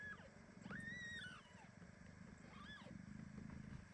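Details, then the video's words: Premature kitten squeezed tightly by its mother cat Ginny, meowing indignantly: two clear rising-then-falling tonal meows, the first longer and higher, the second shorter, over a low household rumble. "Mother cat hugs premature kitten so tightly that he starts meowing."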